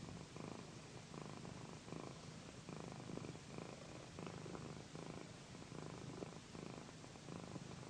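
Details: Loud, mellow purring from Pandy, a female house cat being massaged on a satin pillow for ASMR, a deep pulsing rumble that swells and fades in regular cycles of about two-thirds of a second, with nothing else audible.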